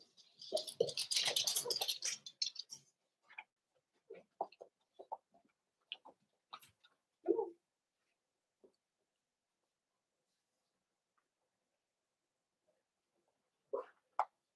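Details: Cavalier King Charles Spaniel puppies in a home puppy pen, socializing with several older household dogs: a noisy scuffling burst, then short high yips and whimpers scattered over several seconds, a final pair near the end.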